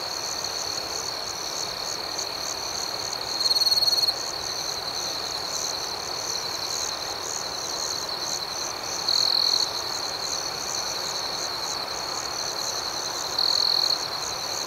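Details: Nighttime cricket chorus, high and steadily pulsing, with three louder half-second trills spaced about five seconds apart standing out above the constant background chirping.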